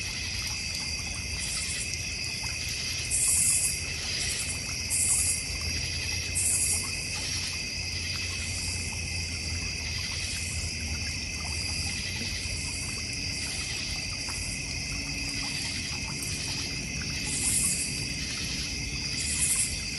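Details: Layered high cricket trilling fills a North Georgia Mountains backyard with a koi pond and fire pit, broken by short louder chirp bursts at intervals, over a low steady background hum and faint trickling water.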